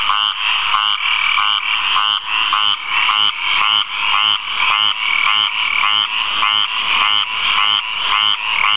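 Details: A single frog calling from a water puddle, a loud continuous series of rapid pulsed croaks, strongest in a bright upper band, repeating with brief dips about every half second to second, no other clear sounds.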